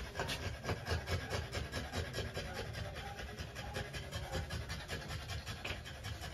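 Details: Rapid, rhythmic panting from a female French Bulldog undergoing trans-cervical insemination, about two rough breaths a second in an uneven run, with low handling noise beneath and a steady electrical whine.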